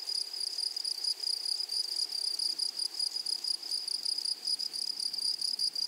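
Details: Grasshoppers in a flowery meadow or prairie: a steady high, shrill ringing trill with a fainter higher overtone, pulsing in quick, slightly uneven bursts throughout, with no other clear sounds.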